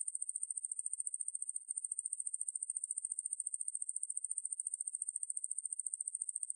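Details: Katydid known as wangmaeburi producing a sustained high-pitched buzzing trill of quick, even clicks, about a dozen per second, briefly faltering near 1.6 seconds; nothing else audible.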